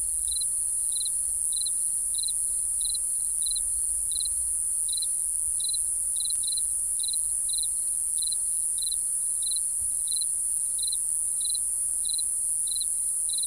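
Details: Night cricket chirps, crisp high pulses ticking steadily about twice a second against a continuous piercing high drone from the insect chorus. The background is otherwise quiet.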